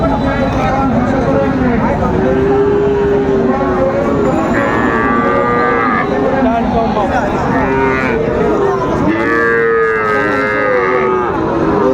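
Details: Friesian and crossbred bull calves at Raniganj cattle market, Dinajpur, recorded 3 September 2024; several overlapping mid-pitched moos, some drawn out and level, others rising, over constant market crowd chatter and talk of prices.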